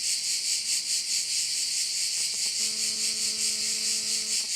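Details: Crickets sound at a bay on Korčula, Croatia, as a bright, hissing chorus that swells and fades in quick regular beats. In the second half a low steady tone with overtones joins the chorus.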